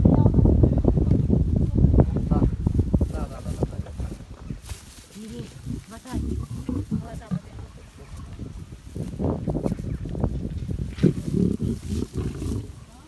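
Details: Lions eating their dinner give heavy, low snarling growls almost continuously, swelling in the opening seconds and again near the end, while human voices chatter in the background.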